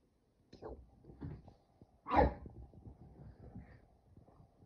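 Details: Two dogs, Kumo the Keeshond and Sully the Boston Terrier, wrestling in play in a cabin while on vacation. Brief low growls and grunts lead up to one loud, rough bark-like burst midway, then softer scuffling rumbles.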